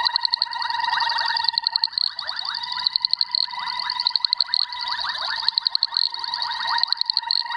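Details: Male Boettger's caco (Cacosternum boettgeri) calling to females, giving a rapid, high, ticking trill that runs on almost without a break.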